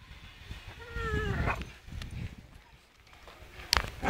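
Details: Staffordshire Bull Terrier named Charlie swinging on a rope outdoors; one drawn-out, slightly falling whine with rich harmonics lasts about half a second, then rustling and a sharp knock close the moment.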